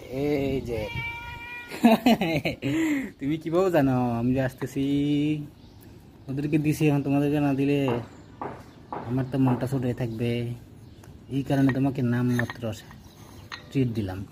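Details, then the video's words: Hungry domestic cat crying for food: a run of drawn-out, arching meows, some long and wavering, repeated about eight times across fourteen seconds, mixed with a person talking to it in Bengali indoors. "Cat crying for food"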